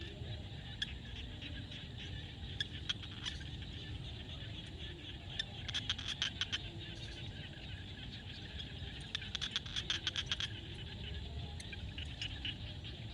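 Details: Frogs calling at sunset in a field in Cambodia: short bursts of rapid, dry clicking pulses come in scattered groups over a steady high insect-like chorus and a low rumbling background.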